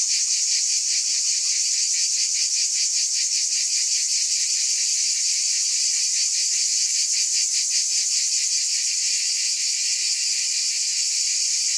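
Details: Dense chorus of cicadas: an unbroken shrill drone with fast, regular throbbing pulses running under the steady high hiss.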